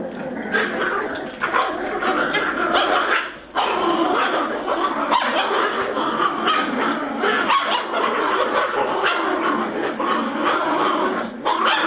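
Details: Several Border Terrier puppies from Bois Caiman keep up a nearly unbroken stream of overlapping yaps, growls and squeaky whines, pausing only for a moment after the first few seconds.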